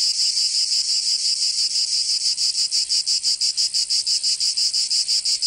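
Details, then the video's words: Summer cicada chorus from Provence in the south of France, a shrill metallic buzz rising and falling in quick even pulses, roughly three per second, continuous and unbroken by other noises. "Canto Cigarra 🦗 [ Escuchar les cigarras en verano 10 H]"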